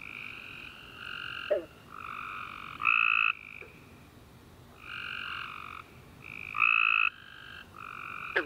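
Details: Tree frogs chirping after dark following a rainy summer day: harsh, honking half-second notes from several frogs trading calls, some near and loud and others fainter, with a few sharp clicks.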